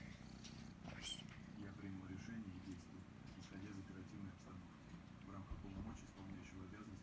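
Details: Kitten Kryska purring loudly while enjoying affection and scratches behind the ear; a steady, low, rumbling drone runs continuously throughout, with faint brief higher sounds near the start.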